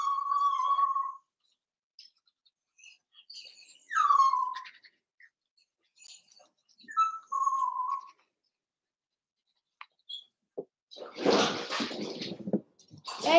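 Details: Seven-week-old Cavalier King Charles Spaniel puppies from Daisy's litter in a home puppy pen; long whistled whimpers, some sliding down then held level, spaced between quiet gaps, then a burst of rustling noise near the end.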